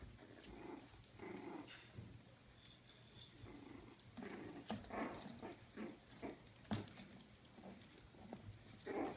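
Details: Coton de Tulear puppies, four weeks old, make irregular soft whimpers and short grunts over nearly ten seconds, mixed with clicks, taps and rustling.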